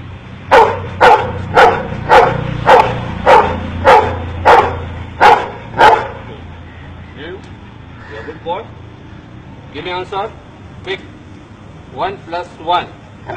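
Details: Dog in India being taught to count, giving a quick run of about nine evenly spaced sharp barks, followed by a man talking with a low hum behind.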